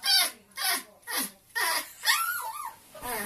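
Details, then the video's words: A homesick Chihuahua, as his owner arrives to pick him up, gives high squeaky yelps about twice a second, then a wavering rising-and-falling whine with an oddly bird-like, chirping quality. "Chihuahua making weird bird like noises"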